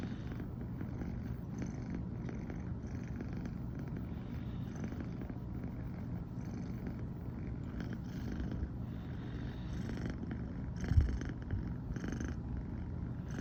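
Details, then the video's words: Brown tabby American Shorthair female, born September 2020, purring nonstop in the morning after sleeping alongside her owner: constant deep rumble, a brief louder bump near the eleventh second, light rustles. "初めて一緒に寝たら、朝からゴロゴロが止まらなくなりました笑。【Cat rumbling sound】"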